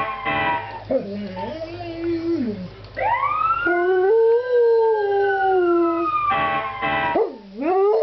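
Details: Athena the dog howls in response to fire trucks: several long sliding howls, some bending upward and then falling away, mixed with a wailing siren and a few short louder bursts.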